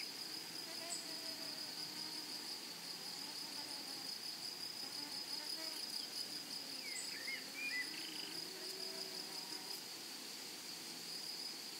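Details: In a flower-filled meadow, grasshoppers keep up a dense, even, high hiss throughout, with a faint cluster of small bird twitters around the middle.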